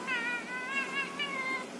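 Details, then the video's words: Talking cat giving a run of connected high meows that waver up and down in pitch, about four pulses in under two seconds, over light background hiss. "Cat talking"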